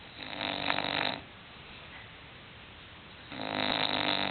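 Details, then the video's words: Deep sleep snoring from Hulk the English bulldog, a loud raspy breath followed after a two-second hush by another swelling snore. "English bulldog snoring"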